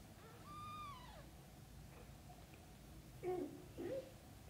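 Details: Kittens ask their mother cat to play outside right after waking up: a clear, high meow that holds steady and then slides downward, followed about two seconds later by two short, low chirping calls over quiet indoor background.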